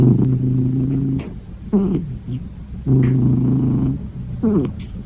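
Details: Sleeping cat snoring. Two deep, buzzing rumbles, each about a second long, alternate with quick, descending, whistly exhalations in a quiet room.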